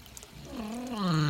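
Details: Great Dane, one of two named Max and Katie, swimming in a pool and 'chatting' with its owner about the water temperature; a drawn-out, wavering vocal moan that dips, rises, then slides downward, growing louder toward the end.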